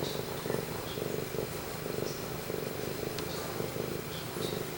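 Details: Male cat Pumpkin purring near the camera: a low vibrating purr with clear rhythmic swells about every half second, steady and unbroken.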